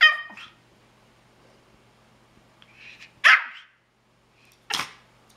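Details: A Pomeranian begging for pineapple gives a high, wavering yelp, like singing, then two sharp, bright barks.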